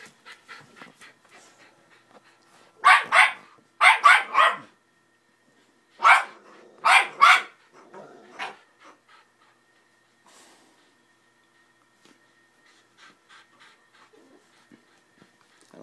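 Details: Playful Patterdale pup attacking a 90lb pitbull indoors; clusters of rapid paired yappy barks in several bursts, with panting-like soft breaths and small whimpers between and after.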